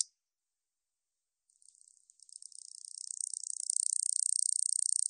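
A katydid's dry, high-pitched buzzing trill of rapid pulses begins after a pause and grows steadily louder.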